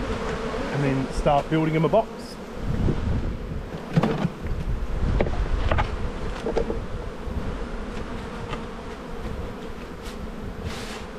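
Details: Steady droning of honey bees at an open hive in the bee yard during a spring inspection, 7-9-22, with brief speech at the start and scattered clicks and knocks from handling the frames.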